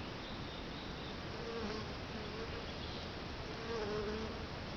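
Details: Bees swarming around a bait hive stocked with sugar water and lemongrass oil two days before; continuous thick droning from many insects, with faint higher whining tones from individual bees passing close.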